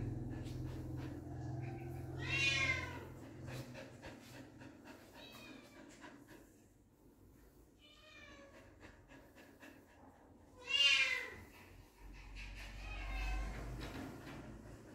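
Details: Puppies meeting their father for the first time give high, wavering whines and yelps in short bursts, a loud one near the start and another around eleven seconds, with fainter squeaks between them over a low steady hum.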